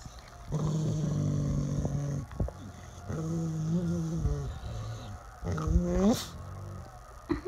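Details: Deep growls from mastiff and shepherd dogs: three sustained, rumbling bouts of roughly one to two seconds each, separated by brief pauses, the last ending in a sharper rising snarl.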